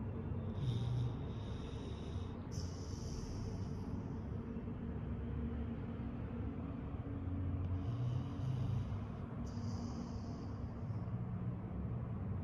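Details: A Golden Retriever snores while sleeping, with low, rumbling breaths that rise and fall in slow cycles.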